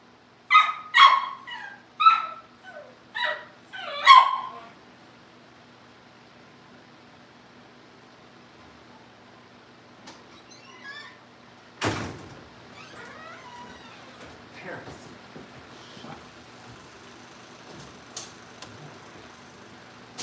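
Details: Young Cavalier King Charles Spaniels awaiting family pick-up in a home setting: five quick, high yips within the first few seconds, then near quiet broken by a single loud thump and faint rustling.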